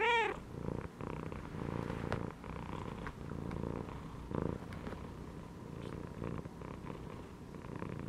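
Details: Resting cat curled inside a gym belt gives one short, high, tonal meow at the start, then settles into a low, rhythmic purr that swells and fades with each breath.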